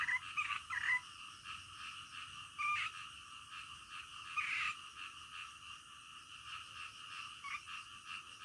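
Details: Night-time frog chorus, softer and more distant, a continuous buzzing drone broken by a few louder croaks near the start and around the middle.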